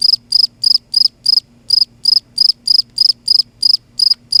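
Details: At night in Kerala, a cricket makes its loud noise. Crisp, shrill chirps come about three per second, each made of quick pulses. There is one short skip in the rhythm. A faint background hum runs throughout.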